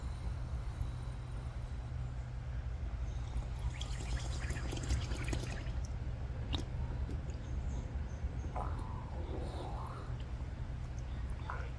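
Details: Aldabra giant tortoises drinking, gulping down big mouthfuls of water sucked in through the nose. Wet sloshing, gurgling bursts cluster mid-recording, with scattered sharp clicks, a steady low hum throughout and faint rising whistles near the end.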